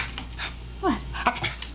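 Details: Pet Patterdale Terrier puppy making sounds when he seems to want something: one short high whine slides downward, then a brief squeak follows, while a woman's voice asks what he wants.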